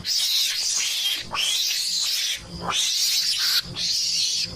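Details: Mongoose lure sound for attracting the animals: long rasping, hissy screeches lasting about a second each, four bursts separated by short pauses, high-pitched and noisy throughout.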